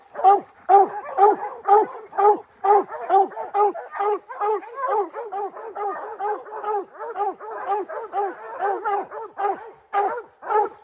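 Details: Hound puppy Rocky, three months old, at his first treed black bear; steady rhythmic bawling barks, each with a downward curve, about two per second for eleven seconds.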